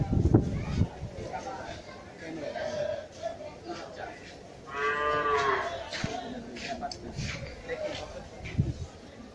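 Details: Cattle at Gabtoli cattle market in Dhaka, where big bulls are kept: a single drawn-out, harmonic moo lasting about a second near the middle, over constant crowd chatter, footsteps and market bustle.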